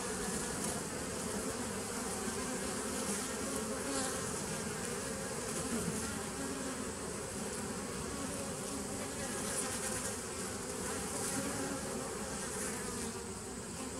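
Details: Steady mass buzzing of bees, a full low droning hum that stays even in loudness, with faint brief higher clicks now and then.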